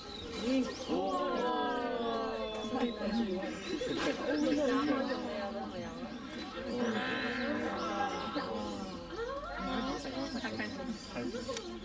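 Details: Several Chinese wolves at Tennoji Zoo howl together in wavering, overlapping tones while people talk nearby, recorded September 2022 to January 2023.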